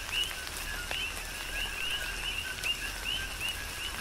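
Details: Several coqui frogs chirp during tropical rain on Hawaii's Big Island, their brief upswept notes coming roughly once or twice a second over a constant hiss of falling rain.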